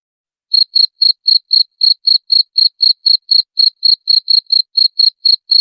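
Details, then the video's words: Cricket chirps offered to chase off rats; a brief pause, then crisp high-pitched pulses repeating about four times a second, steady and isolated. "SUARA JANGKRIK PENGUSIR TIKUS"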